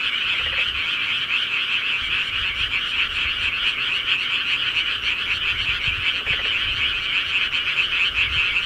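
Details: Countryside frogs calling at night form a dense, continuous chorus of overlapping croaks, a steady bright trilling band with no pauses, plus a few faint low thumps.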